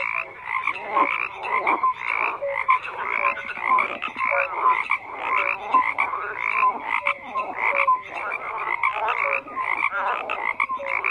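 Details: Frogs croaking in a dense chorus: overlapping raspy, pulsed croaks with bright tones around the upper range, many callers at once, steady and continuous with no other sounds.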